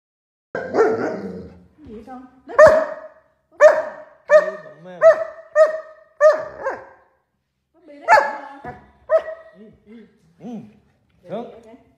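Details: Alaskan Malamute, a pet dog indoors, giving a run of short loud barks and yelping calls, some rising and falling, roughly one every second, with quieter whines between and a woman speaking Vietnamese nearby.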